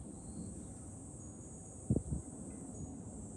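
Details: Cicada chorus in July at a hilltop viewpoint over Fukuoka, Japan: an unbroken high buzzing hum, with low wind noise and two sharp knocks near the two-second mark.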